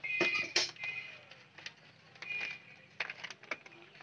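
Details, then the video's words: Village puppies play-fighting, giving thin high squeals: a drawn-out squeak near the start, another around the middle, then short scattered yelps among scuffling clicks and brief handling noises. "Puppies Fighting || Baby dog Playing"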